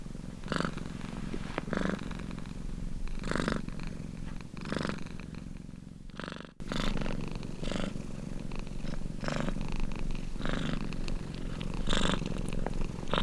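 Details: Deep purr of a domestic cat, rhythmic and unbroken apart from one short cut midway. Each in-and-out breath brings a brighter rasping surge, repeating about every one and a half seconds.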